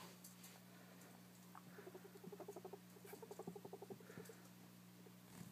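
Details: Two young female guinea pigs, five to six weeks old, meeting for the first time in a neutral setting indoors; a quick run of low, evenly pulsed chattering notes, many per second, surges and fades, with a steady mains hum behind.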